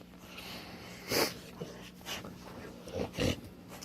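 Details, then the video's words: Snoring of a dog named Zoë, a female asleep on an indoor couch as her owner returns home from work: a few short, breathy, rasping snorts at uneven intervals over a steady low hum. "Owner Returns Home to Dog Snoring on Couch"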